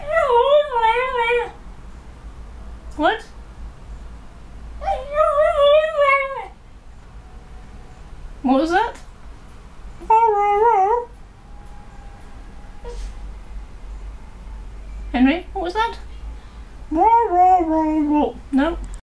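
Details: A 2-year-old male Cocker Spaniel makes wavering, drawn-out whines and yowls like talking, irritated because he wants to go out and his owner isn't ready.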